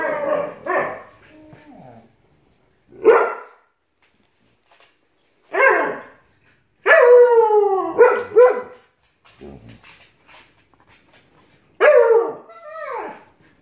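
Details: Alaskan Malamute puppy and Siberian Husky arguing: separate short harmonic yowls and barking vocalizations with downward-sliding tones, spaced by silent gaps of one to two seconds.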